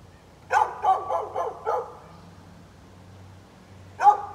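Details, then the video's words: A neighbour's dog, recorded on 13 November 2020 while barking at birds, gives a quick run of five sharp, ringing barks, then falls silent before one last bark near the end. A low steady hum sits underneath. "Neighbor's barking dog"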